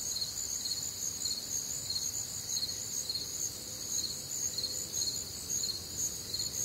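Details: Cricket chorus on a warm, humid Midwestern summer night: continuous very high trilling in parallel bands, rapid pulsed chirps throughout, no pauses, quiet natural background.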